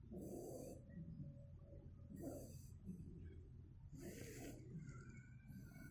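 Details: A two-month-old Shiba Inu puppy snores softly while sleeping, each low rasping breath returning roughly every two seconds.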